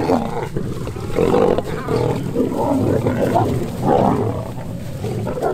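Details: Lion pair in the wild as the male tries to mate with the female; repeated harsh, throaty snarls and growls pulse roughly every half second over a deep rumbling background.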